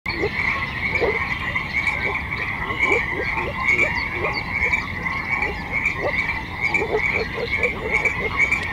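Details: Frog chorus: short low croaks repeat irregularly, roughly once a second, over a steady high-pitched droning background that never pauses.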